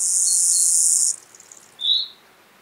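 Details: Gravel grasshopper (Chorthippus pullus) singing at Taugl, Austria, on 6 July 2019, recorded with a Pettersson D 100 ultrasound detector: one high, dry buzzing burst of about a second, then a single short high chirp.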